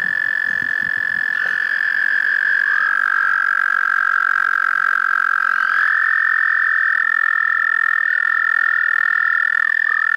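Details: Melodious tiny frogs in a park pond chorus with overlapping high whistled notes. The pitch shifts in small steps and glides, two voices alternate and merge over ten seconds, and faint low rustles are heard at the start.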